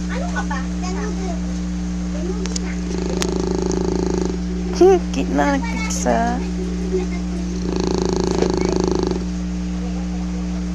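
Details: English Bulldog snoring: two rasping, pulsing snore breaths about four seconds apart, each lasting over a second, with a person's voice speaking briefly between them over a steady low electrical hum.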